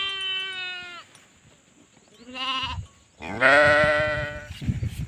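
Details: Sheep calling three times: a steady, level baa lasting about a second, a shorter trembling bleat, then a loud, rough, drawn-out cry that fades into low background noise.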